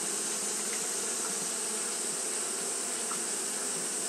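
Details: Hot-day fanning by Japanese honey bees: an even, thick buzzing drone with a few soft ticks scattered through it, all set against a constant high-pitched hiss.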